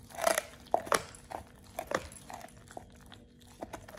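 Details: Oliang, a Pit Bull, eating a raw ostrich paw for the first time indoors; wet, crunching bites and gnawing come in irregular bursts, loudest in the first second, with a faint steady hum behind.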